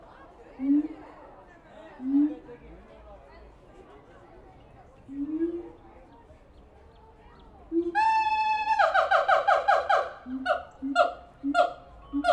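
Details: Captive siamangs at the Tulsa Zoo give deep, booming hoots that break into loud, rapid, trumpet-like barks and wails.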